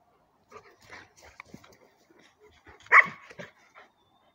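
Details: German shepherd dogs, one long-haired and four months old, one short-haired; scattered soft yips and snuffles build to one loud sharp bark at three seconds, then quieter yips with background shuffling.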